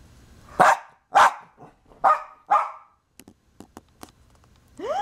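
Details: Household dog barking at sneezes, its one fear rather than thunder or fireworks; four loud barks in about two seconds, then soft clicks and a rising whine at the end.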